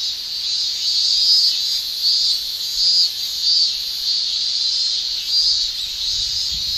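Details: Japanese cicadas in summer, males producing tymbal song: sustained high-pitched shrill drone swelling in loud pulses about once a second, a faint low thump near the end.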